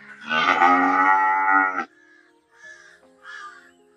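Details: Long, steady cow moo lasting about a second and a half, loud and evenly sustained before stopping abruptly; two short, harsh, crow-like caws follow in the background.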